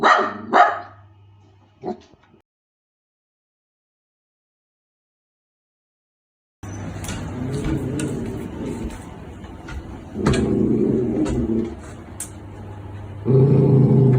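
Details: Pet Miniature Dachshund rejecting a woman's friendly advances; a few sharp barks, a pause of silence, then long, low rumbling growls that swell louder in two surges near the end.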